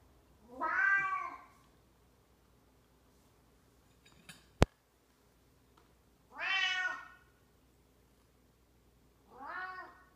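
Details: A very old domestic cat gives three drawn-out, wavering meows spaced several seconds apart, with a single sharp click and faint tapping between the first and second calls in a quiet room.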